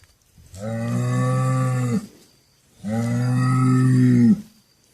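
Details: Cattle giving two long, deep, even moos of about one and a half seconds each, separated by a short pause, with little else audible.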